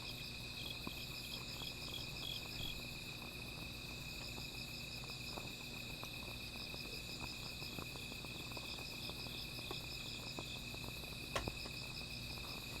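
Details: Nocturnal insects sing around a small fire, a continuous high-pitched ring joined by rhythmic beaded chirping that comes and goes, with occasional crackles and one loud snap near the end.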